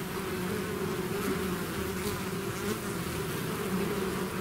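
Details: Swarm of bees having left the hive, heard as an even, rich buzzing hum with strong low bands, constant throughout and without pauses.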